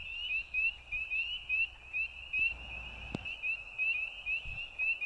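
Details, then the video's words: Frogs at night keep up a dense, high, buzzing trill, steady in pitch and beating in quick rhythmic pulses. A soft low thump and a sharp click sound in the background. "Frogs at Night"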